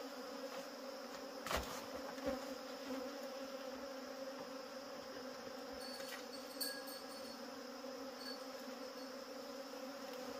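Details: Wild honey bees during a wild honey harvest, a steady, droning hum of many wings with low layered tones held throughout, broken by a couple of sharp knocks near the start.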